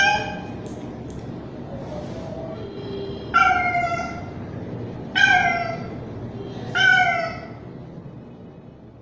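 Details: Street cat, a young male, calling for a female in heat; soft, faint sounds early on give way to three loud falling meows spaced about one and a half seconds apart, the last trailing off.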